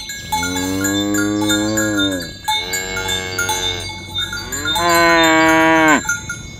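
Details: Cows herded toward the pen in the morning on a village road give three long, rich, harmonic moos, the last rising and louder, with cowbells ringing steadily behind.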